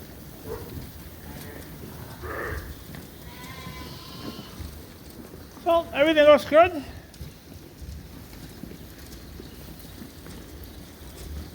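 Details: In a farm barn where escaped Suffolk lambs have mixed into one group, a loud, trembling bleat rises out near six seconds, preceded by softer calls and quiet voices against a low barn hum.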